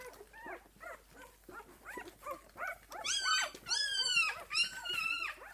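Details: A six-day-old puppy from Esmée's litter gives soft, evenly spaced arched whimpers at first, then from the third second breaks into louder, shrill, harmonic-rich squeals that slide downward, about one per half second.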